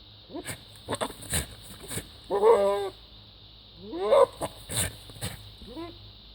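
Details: Goat making bizarre noises: two wavering, quavering bleats with a shaky vibrato, each lasting about half a second and a couple of seconds apart, among scattered short clicks and rustles.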